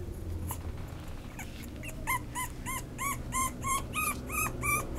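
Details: After a quiet start, a Toy Poodle breaks into a steady string of high, whiny yips, each briefly rising and dropping, roughly three per second, against a faint low rumble.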